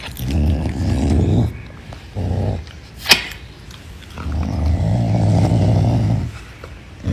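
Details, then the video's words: Pumba the caracal growls over chicken wings, a deep rough rumble held about one and a half seconds, a short burst, then a sharp click and a long sustained growl of about two seconds. "Caracal Pumba is Eating Chicken Wings"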